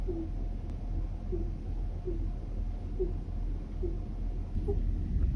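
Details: A sleeping domestic rabbit snores or sleep-talks very quietly, with faint, short, squeaky puffs repeated about once a second.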